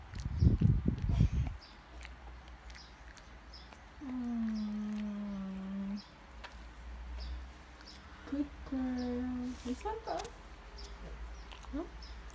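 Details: Border Collie named Ping Ping, a female, being given her medicine; after early rustling and thumps she gives a long, steady, slightly falling moaning whine of about two seconds, then a shorter one a few seconds later, with soft handling noises between.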